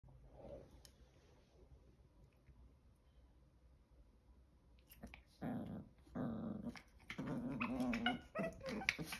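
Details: Two five-month-old male Chihuahua puppies during a failed attempt by one, Chocolate, to steal; after a quiet start, low rough growling bursts with harmonic, warbling tones sound in the second half, alongside scuffling noises.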